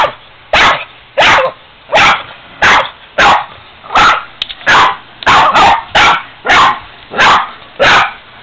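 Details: Ester, a pet Boston terrier, barking at a 45-year-old piggy bank she dislikes; loud, sharp barks repeat roughly every 0.7 seconds in a steady run of about a dozen, with a person urging her on.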